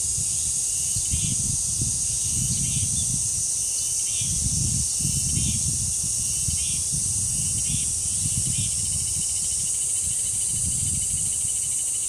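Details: Continuous shrill buzzing of cicadas at the Deoksan village shrine grove, a level high drone throughout, with wind surging in low rumbles and a series of short, repeated bird chirps every second or so.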